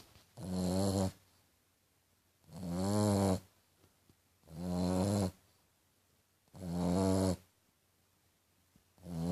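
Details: Snoring French Bulldog, its sound compared to a piglet's: four loud, buzzy, low rasping snores, each about a second long, repeating roughly every two seconds with quiet pauses between.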